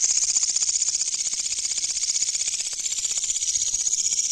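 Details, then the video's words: Katydid found at night while searching for insects, giving a loud, harsh, high rasping call of rapid regular pulses, steady and unbroken throughout, with no other clear sounds. "The Katydid's Sound Is Very Loud"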